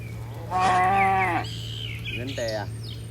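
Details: One of dozens of tame cattle leaping down a mountain hillside gives a full moo, followed by a shorter second low call, over a steady low hum and faint bird chirps.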